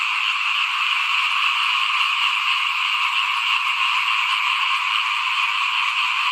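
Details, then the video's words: Frog chorus recorded in front of a house while rice was being sown for planting in 2021: an unbroken wall of high, rasping croaks from many callers, even in loudness throughout. "เสียงเขียดร้องหน้าบ้าน ตอนหว่านข้าวเตรียมปลูกปี2021"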